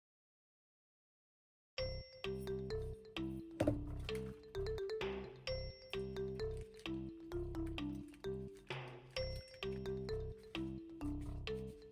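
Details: A brief silence gives way to light mallet-percussion music with chiming xylophone-like notes and no animal sounds.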